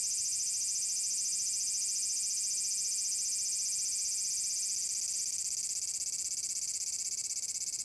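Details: Continuous sizzling buzz of a large brown cicada recorded on 30 July 2022 at Furuta Magarikawa in Nishinoomote on Tanegashima, Japan, among natural sounds; a loud, even, high-pitched drone with a fine rapid pulsing throughout.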